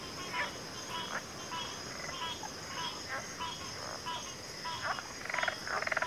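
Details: Frogs calling together in a dense chorus: quick croaks tumbling over one another, then a louder, rattling pulsed call near the end, all beneath a constant shrill insect hum.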